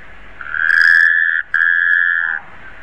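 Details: Two drawn-out, level, mid-pitched notes from a Taipei tree frog, nearly a second each and separated by a tiny gap, loud and close over soft background hiss.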